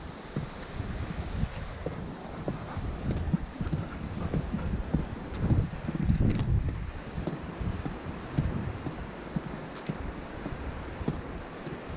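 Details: Outdoor wind buffeting the microphone, with low rumbling, rustling and scattered knocks, and no animal calls.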